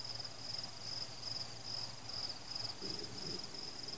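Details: Night crickets accompany fireworks: their high, pulsed trill runs almost continuously, broken into short bursts, while a low dull thump from an explosion rises near the end.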